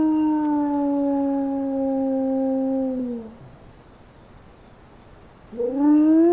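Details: Recorded howl of a single grey wolf played through an amplifier and horn at night during summer wolf-howling monitoring. A long, steady low howl slides down and breaks off, then after a pause a new howl rises.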